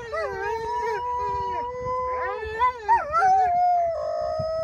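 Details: Two Siberian Huskies met outside Mosaic Stadium in Regina, howling a lonesome, sad tone: long steady notes that rise and waver, with two voices overlapping and a few short bent cries near the end.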